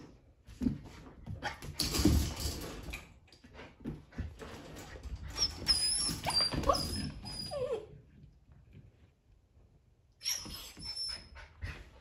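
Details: Playing poodle puppies give high, thin whining squeaks in clusters, some drawn out and wavering, over loud scrabbling and thumps; a quieter lull follows before another burst of squeals and rustling near the end.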